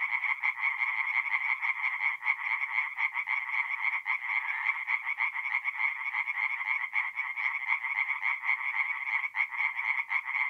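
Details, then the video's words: A chorus of tree frogs calling at night from a forest pond in north-east Italy in mid-April. Fast, harsh pulsed notes pile on top of one another in a steady, unbroken rattle. "relaxing forest pond by night with singing tree frogs"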